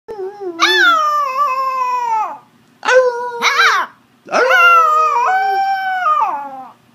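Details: A 9-week-old red sesame male Shiba Inu puppy "sings," howling in three drawn-out, wavering notes, each sliding slightly downward.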